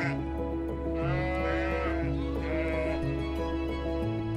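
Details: A sheep bleats twice in quavering, wavering calls lasting about a second each. Calm, sustained background music plays under them.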